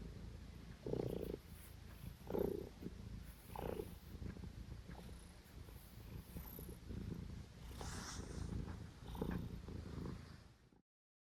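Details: A male domestic cat purrs loudly while having hiccups. The steady low rumbling purr is broken by hiccup jolts about every 1.3 seconds, and there is faint household background noise.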